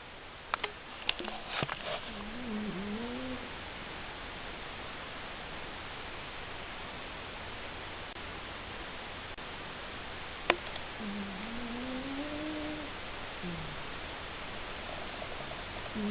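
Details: Seven, a male pet cat, snoring in his sleep: two drawn-out, wavering tonal snores, about a second and a half each and some eight seconds apart, over steady hiss, with a few sharp clicks near the start.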